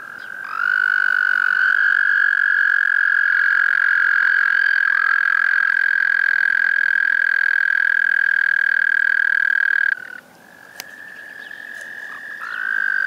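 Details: Tiny, loud, melodious frogs in a park pond: a frog gives a long, steady, high musical trill that holds one pitch for about ten seconds.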